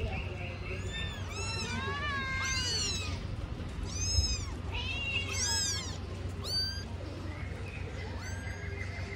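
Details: Kitten that picked up grilled fish and ran off, heard as a stream of overlapping high, arching meows rising and falling in quick succession, several voices seemingly at once, over a steady low hum.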